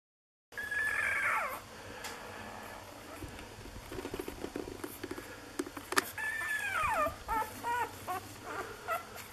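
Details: Six-day-old Lagotto Romagnolo puppies of an A litter in Hamburg give high, thin whimpering squeals that fall in pitch, one near the start and a run of short ones later, over a steady background hum and soft rustling.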